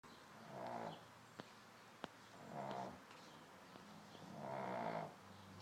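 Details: A sleeping pug snores in long, rough, rasping breaths roughly every two seconds, three in all, with a couple of sharp clicks in between.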